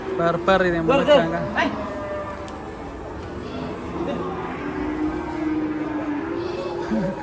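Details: Raging cattle let out a cluster of short, strained bellows at the start, followed by a lower, sustained moo trailing off, with background noise throughout.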